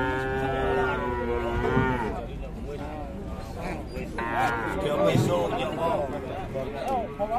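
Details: A low drawn-out moo of about two seconds from cattle said to have a belly full of flies, with clear stacked overtones, then Javanese men's voices chatting, with one man remarking that the animal has wind in its belly.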